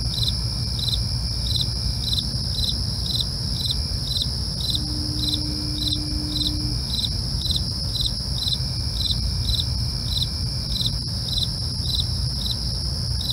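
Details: Night-time crickets: a constant high trill with repeated pulsed chirps at a steady quick rhythm, a low background rumble and a short faint humming tone midway.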